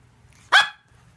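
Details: A pet dog talking to its owner, giving one short, sharp, bright bark that rises and falls quickly, with faint low background rumble before and after.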